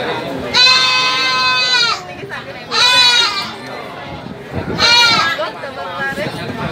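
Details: Three long, strong, wavering bleats from a goat at a livestock market. Each lasts over a second, with a pause of about two seconds between them. Market chatter and noise fill the gaps.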